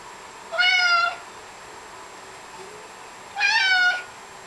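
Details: Small baby-like meows from a 16-pound male Maine Coon: two brief, evenly pitched mews about three seconds apart, each roughly half a second long, with near silence between them.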